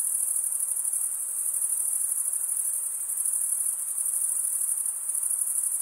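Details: Male crickets stridulating, rubbing one wing across the toothed vein of the other, form a dense, steady high-pitched chorus of rapid pulsed trills that never pauses, with faint soft hiss lower down and no other sounds.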